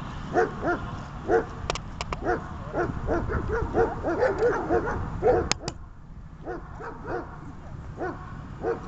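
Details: Dog during a training session barking in quick short bursts, about one per second, with a few sharp clicks and a steady low background hum.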